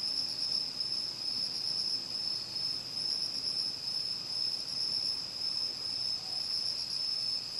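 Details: An autumn night chorus around a home in Uchiko, Ehime, Japan: crickets, bell crickets, pine crickets and katydids give shrill continuous trills in one high ringing wall, with a brown hawk-owl's rhythmic "hoh-hoh" calls mixed in.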